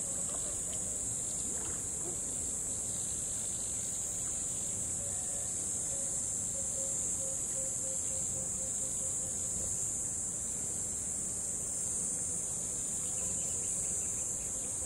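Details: A cricket by a river gives a steady, high-pitched trill that runs unbroken over a low rush of flowing water.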